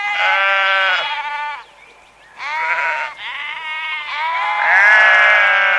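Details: Sheep bleating repeatedly: several loud, wavering, nasal bleats with rich harmonics, a short quiet gap near two seconds, then overlapping bleats from more than one animal continuing to the end.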